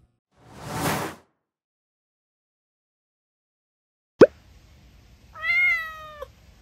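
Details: An adult domestic cat gives one clear, drawn-out meow, steady in pitch and slightly falling at the end; the adult meow is used almost exclusively to communicate with humans.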